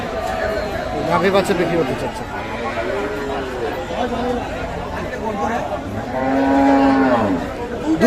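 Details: Cow at Kaharol cattle market, Dinajpur, Bangladesh, on 18 August, where cows with calves are traded: a short arched moo near the middle, then a long steady low moo late on, under constant men's bargaining chatter and crowd noise.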